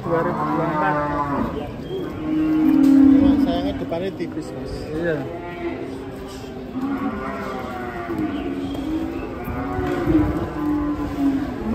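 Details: Huge cows coming down off a truck, calling with drawn-out low moos that swell loudest around three seconds, followed by more wavering moos from several animals amid crowd noise.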